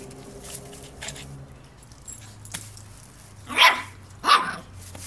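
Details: Border Terrier puppy reacting to a broom: two sharp, high, broadband yips about 0.7 seconds apart near the end, after faint scattered clicks and a low, steady hum in the background.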